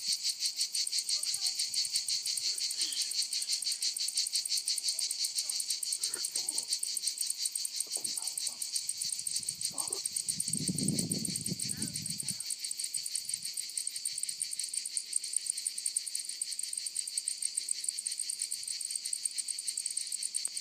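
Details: Cicadas calling over lavender fields in Provence, France: an unbroken high buzzing drone with rapid pulsing, overlaid midway by a short low murmur of human voice and scattered faint clicks.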